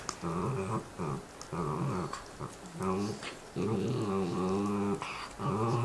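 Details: Two pet dogs growling at each other while eating bones indoors: bursts of low, rumbling, tonal growls about a second long, separated by short pauses, with a whiny edge on some bursts.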